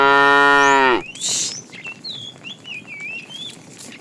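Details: Cow calling the female while a tame herd is driven in the afternoon: the loud tail end of a long harmonic moo cut off after one second, followed by a short rushing noise and repeated whistled bird chirps.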